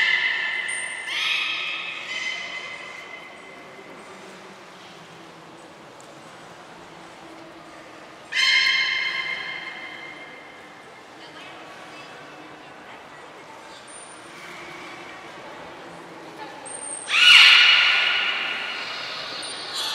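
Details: Belugas, the whole group taking part in a training session at Port of Nagoya Public Aquarium, Japan, on 2 April 2023: bright harmonic squeals near the start, at about eight seconds and again at seventeen seconds, with thin high whistle tones between them.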